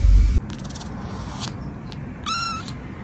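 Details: Domestic cat in a funny cat compilation: a short, steady mid-pitched meow with stacked overtones near the end, after a heavy low thump at the start, over a quiet room hiss.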